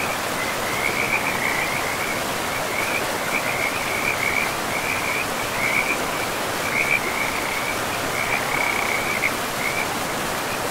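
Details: Trilled high frog calls repeat in short bursts roughly every second by a forest river, forming a loose chorus above the broad, unbroken roar of flowing water.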